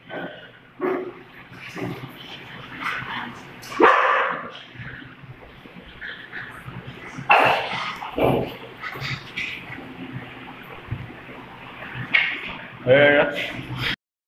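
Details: A Doberman and a pug at play, giving loud broadband barks in bursts near four, seven and thirteen seconds, with yips between and voices talking in the background.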